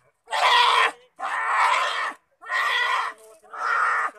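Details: State-protected sloth bear caught in thorns in a village in Mahasamund, Chhattisgarh, crying out piteously: four loud, harsh, raspy wails, each roughly half a second to a second long, separated by brief gaps.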